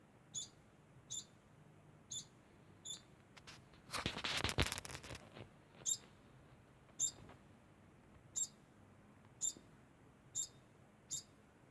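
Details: Degu keeping up a constant sound, short sharp high chirps about once a second, interrupted midway by a burst of rustling noise before the chirps resume.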